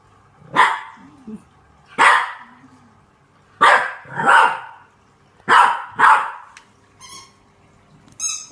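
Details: A French Bulldog puppy, scared of a green washing basket, barks at it with sharp, rasping barks, singly and in pairs, spaced a second or two apart.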